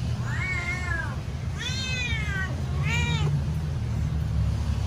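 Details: Hungry house cat impatiently waiting for its meal, uttering three clear meows in under five seconds, each bowed in pitch with strong harmonics, the last shorter and sharper, over steady low hum.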